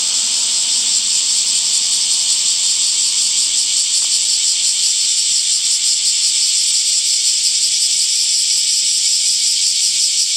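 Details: Summer cicadas produce a steady, piercing buzz that holds without break, a faint rapid pulsation audible within the hiss.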